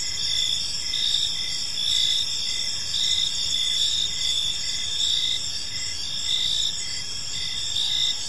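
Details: Crickets chirping in a peaceful park as evening unfolds: layered high, shrill pulsed trills sounding steadily and continuously, with a soft low background rumble and no other clear voices.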